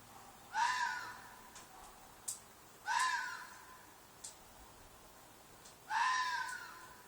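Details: Fox in a field behind an apartment at night, three hoarse screaming cries roughly every two and a half seconds, each harsh and slightly descending, small ticks between them.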